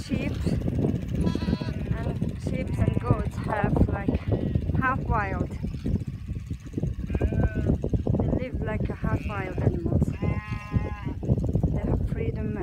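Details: Cashmere goats and sheep roaming half-wild on open pasture in North Eastern Mongolia: repeated tremulous bleats from several animals, some short, some drawn out, throughout, with steady talking and low rumble underneath.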